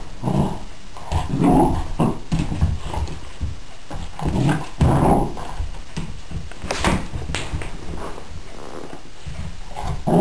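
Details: A puppy attacking a toy flying squirrel indoors after slipping on a hardwood floor while chasing it: low rumbling growls in bursts about every second, with snuffling and a few sharp yaps near the end.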